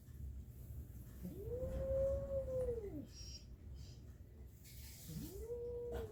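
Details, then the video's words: Kitten making strange noises: a clear, long, arched cry rising and then falling, followed after a pause by a second, shorter cry of the same shape, with soft indoor background hum. "Kitten making strange noises"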